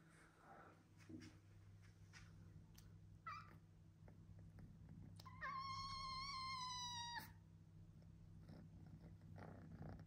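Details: A male orange British Shorthair kitten gives one long, high, clear meow that drifts slightly downward, over a low hum.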